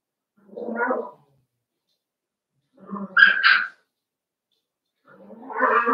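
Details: Cavalier King Charles Spaniel puppies at play in an indoor home pen, three separate whiny, grumbling yelps spaced about two seconds apart, the middle one sharper and higher.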